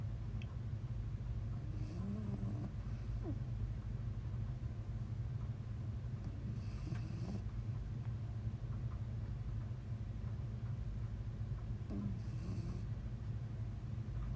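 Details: Uni, a pug puppy recently brought home, snores while asleep: a steady low rumbling breath broken by breathy, rasping snorts roughly every five seconds, with faint squeaky tones between them indoors.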